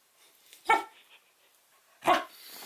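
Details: Female Samoyed puppy barking to get her dropped favorite porcupine toy picked up: two short, sharp barks about a second and a half apart, with quiet background between them.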